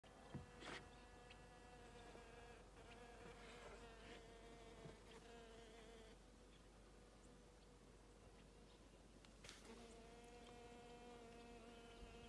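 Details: Hoverfly on a coffee cup, giving a faint, steady, low droning hum with even overtones that breaks off and resumes. A few sharp clicks and knocks are also heard.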